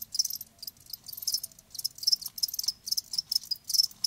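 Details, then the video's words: Dense bursts of high, buzzy cricket trills overlap one another in rapid succession. Several callers seem to chirp at once, giving a busy, shimmering texture. "Live Crickets 60min "Natural Sound""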